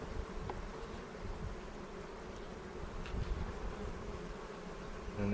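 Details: A dense, continuous hum rises from a honey bee hive opened for inspection on April 27 in a foothills bee yard near Cochrane, where beekeepers are looking for queen cells. The droning runs without pause against faint rustling noise, and no voices are heard.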